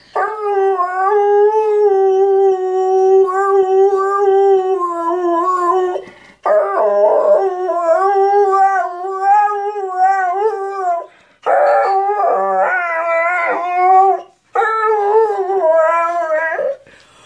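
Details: Airedale Terrier "singing the blues": four long howling phrases with short breaths between them. Each phrase is steady and tonal, with wavering, yodel-like bends in pitch, especially in the later phrases.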